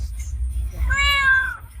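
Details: Hesitant stray kitten being coaxed with food lets out one drawn-out, slightly rising then falling meow over low background rumble.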